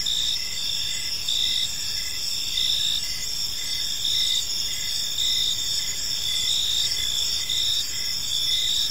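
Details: Crickets chirping on an evening in a peaceful park, several insects trilling together in steady high-pitched bands, with a lower chirp pulsing about twice a second under a constant shimmering drone.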